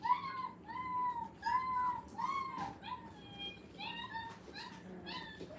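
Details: Five-week-old dog puppies at a training kennel, in a playpen for the first time, whimper in a small room: a run of clear, high, tonal whines, short and slightly falling, coming in quick uneven succession through the whole stretch.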